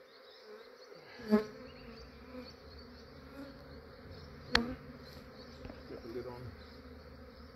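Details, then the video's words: Honey bees from a massive swarm being gathered into a swarm trap in Australia at early morning: low, steady buzzing hum broken by two sharp knocks from handling equipment, with softer bumps and rustles between. "Capturing a massive bee swarm"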